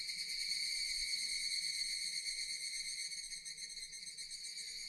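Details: Japanese cicadas calling in a relaxing nature setting: a dense, continuous shrill buzzing drone with steady high bands, a faint rapid pulsing texture throughout, no other clear sounds.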